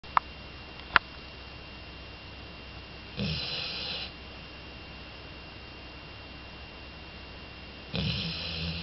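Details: Jori, a two-year-old female Labrador Retriever, snoring loudly in her sleep: harsh, airy, noisy rasps lasting about a second, coming roughly every four to five seconds, with two sharp clicks early on.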